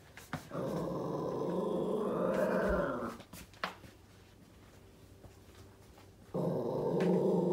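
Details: Female Yorkshire Terrier puppy, just under 11 months old, indoors, alarmed and very angry at something behind a door, growling in long sustained rumbles, with a pause and a short sharp sound before the growl resumes.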